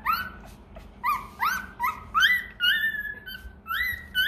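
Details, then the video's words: Hungry Rottweiler puppy crying for its milk, uttering a quick series of short upward-sliding whimpers, about two each second, each one rising and then leveling off, loud and insistent, over low background hum. "Chó Kêu Đòi Sữa: Nghe Sao Thảm Thiết! Hungry! Where s Milk?"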